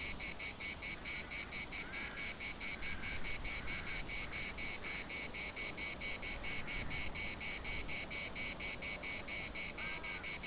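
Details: Cicadas in the municipal park of Larnaca, Cyprus, keep up a dense, high, pulsing buzz near two beats a second, while faint distant bird calls drift in occasionally beneath the chorus.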